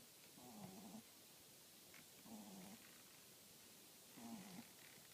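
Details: French Bulldog snoring: three harmonic, rasping breaths roughly every two seconds, each a low buzzy rumble with brighter upper overtones, separated by quiet pauses.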